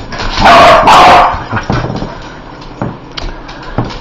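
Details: Dog that hates spiders barking indoors: two loud, harsh, drawn-out barks close together, followed by softer scattered thumps and low noises.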